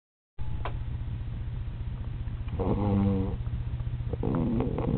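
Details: A sleeping, worn-out Alaskan Malamute puppy snores in low, rumbling breaths with a brief groaning note.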